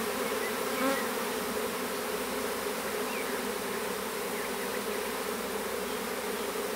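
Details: Western honey bees in a small swarm being hived in a privet thicket, south Alabama, spring 2014; dense even buzzing drone, broad and steady, with faint bird chirps behind.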